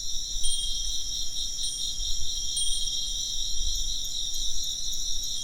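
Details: Insects chirp in a dense, steady high-pitched chorus with a pulsing band of trills, while thin bell-like wind chime tones ring out now and then above it, over a low rumble of background noise.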